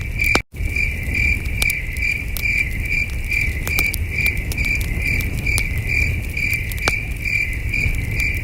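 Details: Distant chirping crickets on a calm starry night at a camping site by a campfire; a high, regular chirp recurs about twice a second after a brief dropout near the start, accompanied by popping fire crackles and a low hum.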